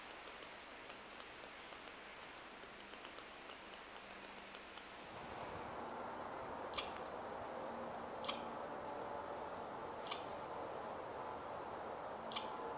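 A red squirrel calls with a rapid series of thin, high squeaks, several each second. Afterward, single sharp chips come about every two seconds over a steady background hiss.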